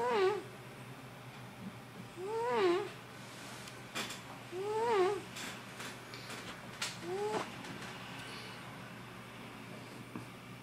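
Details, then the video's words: Sleeping pet cat snoring in a small room; four short, rising-then-falling nasal wheezes come at irregular intervals over steady background hum, with faint clicks between breaths. "Snoring cat - Il mio gatto russa"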